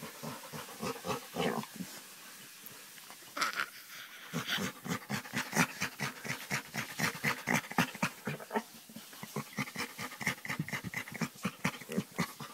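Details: Scratched on the back, a chocolate Labrador Retriever answers with fast, breathy panting pulses and rough snorting grunts, a brief pause near the start, then a steady rhythmic run.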